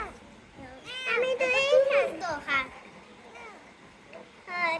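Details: Rescued kitten giving a long, wavering, drawn-out mew, then shorter sharp high calls, fading to near quiet before one last mew at the end.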